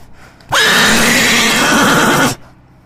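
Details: A horse gives a loud neigh right in the recordist's face, breaking high, then shaking down into a quavering whinny.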